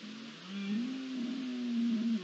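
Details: Deer at night on 20 September 2021, at the start of the rut as hormones awaken, giving one long, steady, moaning bellow that holds a low, even pitch and wavers slightly before ending, over a faint background hiss.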